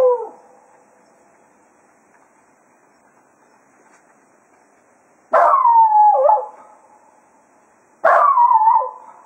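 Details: Cato, a Jack Russell Terrier, serenading hounds at Quail Roost as foxhunting ends; the tail of one howl fades out, then after a pause two more downward-sliding howls follow about three seconds apart.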